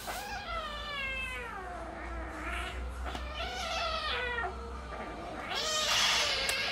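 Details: Domestic cats in a play fight trade long, wavering meows and yowls that rise, bend and slide downward in pitch. A harsher, louder yowl closes the exchange, over a steady low hum.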